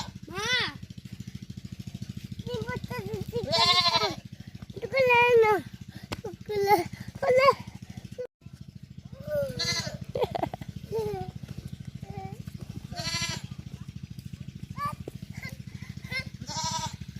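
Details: Baby goat playing with a boy, giving several wavering, quavering bleats among a child's and adults' Bengali talk, over a steady low mechanical hum.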